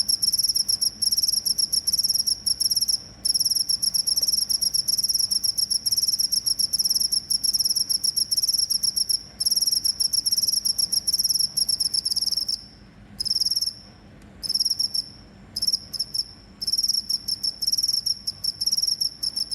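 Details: Shrill cricket chirps, meant for scaring off rats, run in long unbroken trills for the first twelve seconds, then turn choppy with short stops and restarts near the end.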